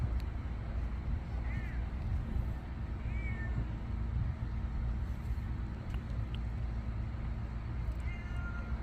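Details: Grubby stray cats, including young ones, keep following a person outdoors. Three short, thin meows rise and fall at about 1.5, 3 and 8 seconds, faint over a steady low rumble like passing vehicles.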